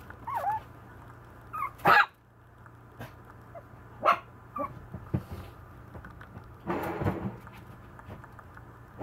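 A Maltese puppy gives a few sharp, high barks at irregular intervals, with soft whines between.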